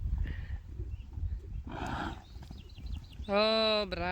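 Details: Friesian horses in a herd reacting to a new horse joining them; a loud, tonal whinny with stacked harmonics near the end, after hoof and rustling noise and a Dutch-speaking woman's voice.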